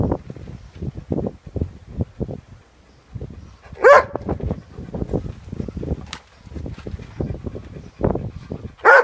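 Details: Labrador Retriever breathing in steady rhythmic pants, several per second with a short pause midway, broken by a couple of sharp, louder vocal bursts.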